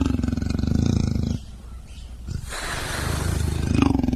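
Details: Leopard giving a throaty, pulsed growl that stops abruptly, a quieter breathy rasp in the gap, then the deep rumbling roar resumes and swells toward the end.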